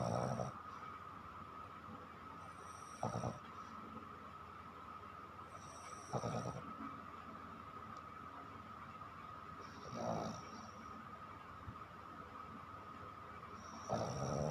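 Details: Sleeping dog named Chiko snoring at night: deep raspy snores come roughly every three to four seconds over a constant humming background tone.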